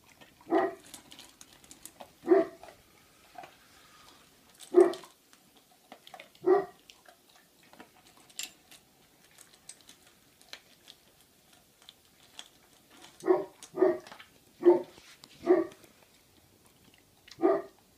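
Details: Libre, a Great Pyrenees puppy aged three months, eating dry food at home on 25 February 2015; brief rough bursts sound in scattered pairs early on, then a denser string of five or six toward the end, with quiet gaps between.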